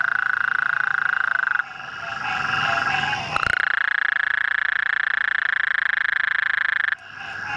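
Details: A calling Gulf Coast toad (Incilius nebulifer, formerly Bufo nebulifer) gives a long, rapid, rattling trill on one steady pitch.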